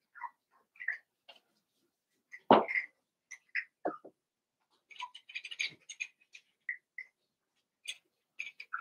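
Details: Eight Cavalier King Charles Spaniel puppies playing together after Daisy's litter of six was merged with Robin's two pups; frequent high squeaky yips and whines, one louder cry near the middle, amid small scuffling noises.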